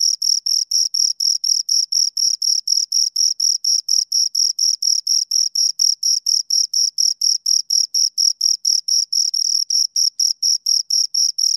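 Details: Steady chirping from two crickets, evenly spaced high-pitched scraping pulses roughly twice per second, bright and sharp, with a faint higher overtone and a clean background.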